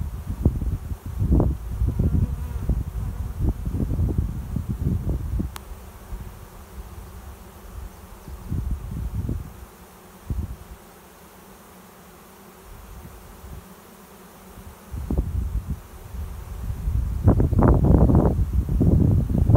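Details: Honey bee swarm flying overhead and settling into a swarm trap behind a garage, finding a new home; a steady low hum runs under gusty rumbles and handling thumps that fade mid-clip, then return.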